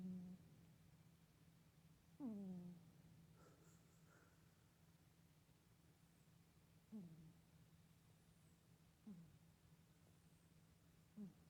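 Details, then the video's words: Soxy, a pet cat, makes a humming snore while asleep indoors. Four soft, low, harmonic hums slide slightly downward, spaced several seconds apart, over a steady low background drone in a quiet room. "Kitty snoring then Kitty freak out"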